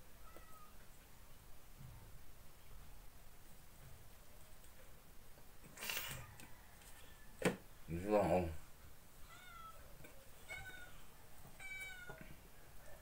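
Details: Sadak, a ginger house cat, at a morning coffee-and-sandwich breakfast indoors; several short, thin, rising meows repeat near the end, after a burst of clatter and handling noise, with quiet talk in Filipino in the room.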